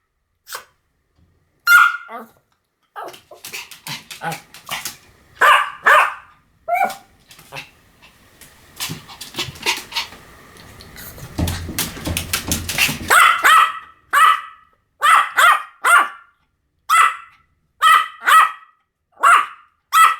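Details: Pomeranian in a long barking bout: scattered shrill barks, a stretch of rustling and scraping noise in the middle, then a steady series of loud, evenly spaced yaps.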